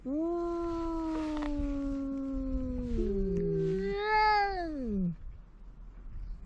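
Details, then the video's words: Drawn-out low cat yowl, steady and moaning for several seconds, dipping lower, then swelling into a louder rising-falling wail before cutting off; faint rustling afterward. "The cat is making a big noise"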